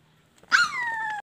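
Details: Indoor pet puppy uttering a meow-like call: a single high whine starting sharply, then sliding gradually downward over about 0.7 seconds, with faint background music.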